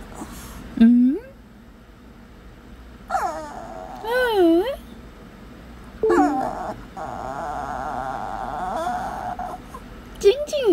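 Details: Shih Tzu indoors whining in rising, wavering yips, answering back between the owner's words after being coaxed in through a door; it then seems to ask for food.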